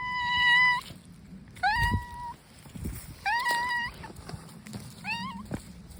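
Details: Outdoor stray brown tabby cat meowing four times, each call drawn out, rich in harmonics and slightly rising then level, spaced about a second and a half apart, with soft low-pitched background noise between calls.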